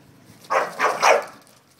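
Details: Bulldog carrying a bone playfully chasing a Labrador without one, the two dogs being friends rather than fighting; three quick, muffled barks or yelps in under a second, over low background rumble.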